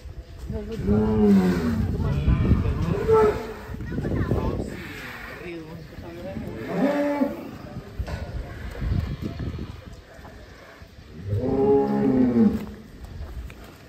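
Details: A giant cow weighing over 1.4 tonnes, heard while being weighed: several deep, drawn-out moos about one to two seconds long recur through the recording, over background music and people talking.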